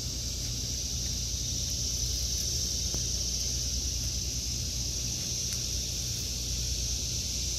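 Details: A summer chorus of cicadas in an August 2023 vegetable garden: a continuous high-pitched buzzing whine that never pauses, with low wind rumble and a few faint clicks.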